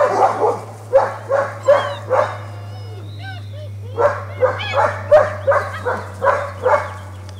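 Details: German Shepherd puppies at a Washington kennel, socializing with an older puppy: rapid sharp barks in quick bursts, a pause filled with thin high whines, then more barking over a steady low hum.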